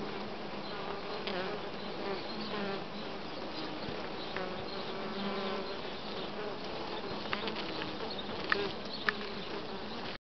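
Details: Western honey bees humming on comb with uncapped brood of various sizes; constant droning buzz with wavering pitch and a few sharp clicks near the end.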